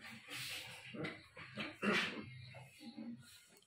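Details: Japanese Spitz puppy, 60 days old, angry, indoors: short broken yelps and whimpering bursts, some harsher and louder near the middle, with gaps of quiet between them.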